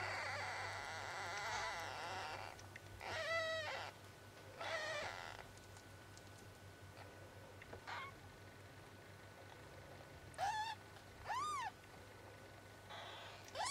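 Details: Kittens four days old mewing repeatedly: high, wavering cries in short bursts, some sliding up and down, spaced irregularly over several seconds, with a constant low electrical hum beneath.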